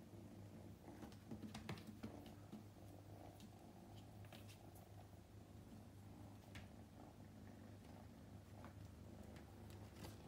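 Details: Male Scottish Fold kitten Luca, upright-eared and born May 2021, purring indoors during his second day at home; continuous low rumbling hum with occasional light taps and handling noises.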